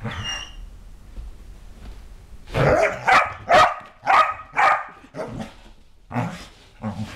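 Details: Kerry Blue Terrier Ronan, freshly bathed, lets out a run of five rough, growly barks in quick succession, then a pause and two more softer barks. Household rustling sits underneath.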